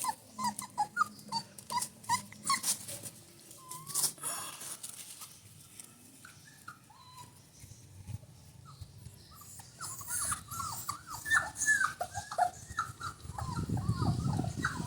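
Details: Rajapalayam puppies at 24 days old, beginning to walk on a solid floor, Thoothukudi; high squeaky whimpers repeated in bursts, a quieter stretch with rustling and knocks, then a busy run of overlapping yelps near the end.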